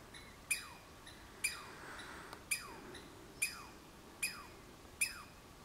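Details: Douglas squirrel, Olympic Peninsula: a steady series of six sharp, high calls, each dropping quickly in pitch, repeated roughly once a second against faint background hiss.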